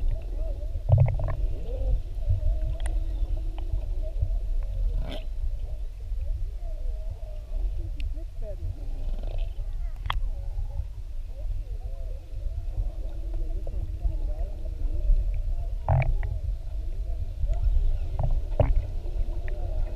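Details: Underwater GoPro recording of whales near Maui during a whale-watching trip: many overlapping wavy, warbling moans rise and fall throughout, beneath a steady low water rumble with occasional sharp clicks and snaps.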